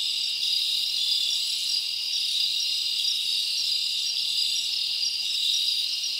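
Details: Crickets chirping at night in a summer forest: a dense, steady high-pitched shimmer that never breaks, many insects trilling together with no other sounds.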